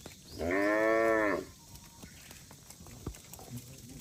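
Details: A cow from a herd of cattle roaming on the road gives a single drawn-out moo about a second long, rich and harmonic with a steady pitch, followed by quiet surroundings with faint background noise.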